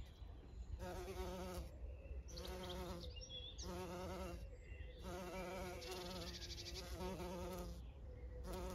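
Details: Bees of many kinds pollinate flowering privet, bluebells and cotoneaster on a regenerative farm in County Kilkenny, Ireland, buzzing in steady, low droning bursts that swell and fade as they fly past.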